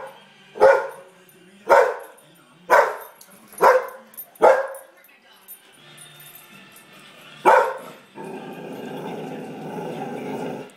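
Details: House dog reacting to a pug shown in a Doritos TV commercial: five quick sharp barks about a second apart, a pause, one more bark, then commercial audio and speech from the television.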